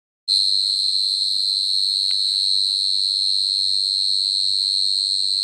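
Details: At night, a house cricket gives a steady, high-pitched ringing chirp that runs on without pause.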